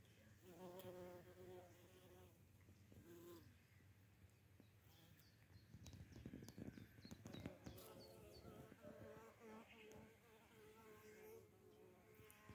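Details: Small bumblebees, including field, variable and forest bumblebee species, foraging on red clover in a garden in the Žďárské vrchy on 2 June 2022, each species giving a different tone; low droning hums swell and fade, with faint rustling.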